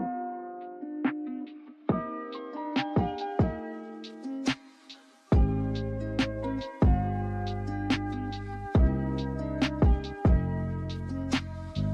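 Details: Mellow electronic hip hop beat with sustained chords and sharp percussive hits, and no animal voice is heard.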